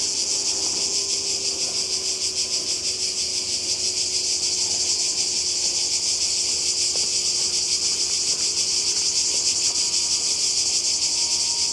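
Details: Summer cicadas on the Croatian coast in 2020 form a continuous, shrill, hissing drone. Their level stays even from start to finish, with a slight rapid shimmer woven through the buzz.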